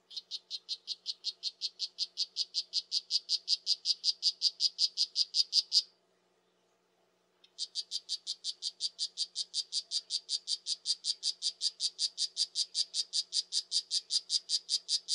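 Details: Poison dart frog calling: a long train of short, high chirping notes, about two and a half per second and steadily growing louder, breaks off near six seconds, then resumes at the same even pace. No other sounds.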